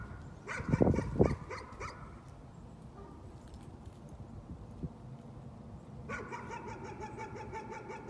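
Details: Nuisance barking from a dog: a short run of barks early on, then a fast, steady series of sharp barks in the final two seconds over a rumbling low background with a few loud thumps.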